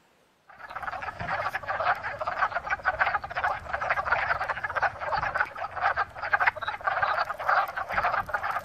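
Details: A dense chorus of male wood frogs in a pond as spring nears, after emerging from winter, giving rapid, hoarse, duck-like clucks at once to attract mates.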